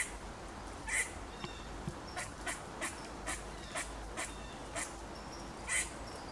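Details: Angry squirrel calling with spaced, dry chucks about every half second, while another bird gives brief high chirps twice over a low hum.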